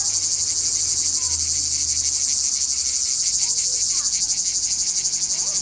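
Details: Cicada singing from a tree at Jagodje near Izola, Slovenia: steady, intense, shrill buzz with rapid regular pulsing, about four pulses a second, and faint distant birds beneath.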